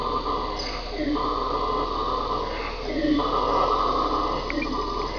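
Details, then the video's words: Red howler monkey howling: a loud, continuous breathy roar with a droning tone that swells and fades in long waves, rising in strength near the middle. "Red Howler Monkey - Sound only"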